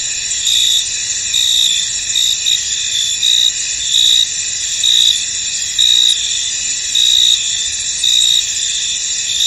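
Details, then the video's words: Crickets chirping in a foggy field, their shrill chorus steady while a nearer caller adds loud, evenly spaced bursts about once a second. "Tranquil Cricket Sounds In An Misty Field"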